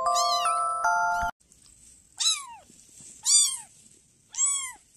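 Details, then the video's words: Kitten meows following a brief steady musical chime: three loud, sharply arched mews about one second apart, each rising quickly then falling, with bright overtones and a faint high hiss between them. "Cute little babies meowing sound"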